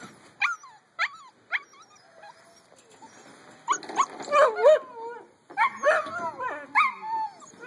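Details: Eight-week-old puppies, a litter kept as pets, giving short high yelps and whimpers, a few sharp squeaks in the first seconds, then longer wavering whines overlapping as several pups call together.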